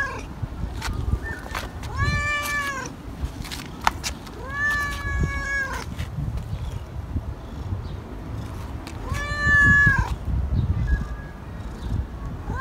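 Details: Tabby stray calling repeatedly: three clear, arched meows roughly every three seconds, each bending up then down, against soft rustling and low background hum.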